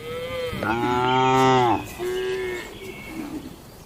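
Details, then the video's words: Tame cattle inside a farm barn on a daily routine: a rich, deep harmonic moo rising and holding for about a second, followed by a shorter, softer second low. "Moo Suara Sapi Jinak"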